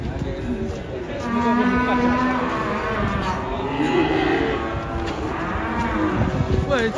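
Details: Cows being brought down from a truck, one angry and hard to handle; steady low lowing with a long drawn-out moo, people shouting warnings and music playing.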